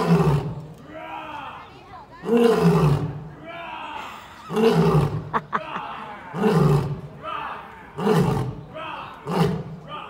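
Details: A male lion at London Zoo gives a series of deep, moaning roars, each falling away, answering a visitor's imitated roar, then tires and goes to sleep.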